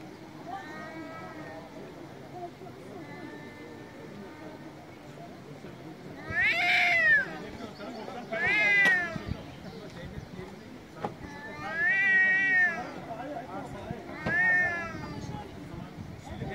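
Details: Male street cats in Istanbul meowing very loudly: long wavering, harmonic-rich wails rise and fall in four strong bursts over steady city background hum.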